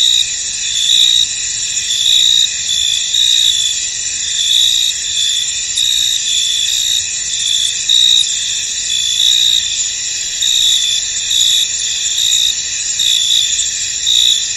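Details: Crickets in a misty, foggy field: a dense, high-pitched chorus with a steady buzzing drone, overlaid by brighter chirp bursts that pulse roughly every second, with no other sounds standing out.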